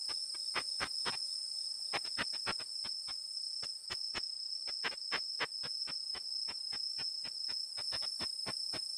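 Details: Tettigoniopsis ikezakii, a Japanese katydid calling in ultrasound, heard through a bat detector as a long run of sharp clicks, sometimes doubled or tripled, going on steadily for nine seconds over a continuous thin whine.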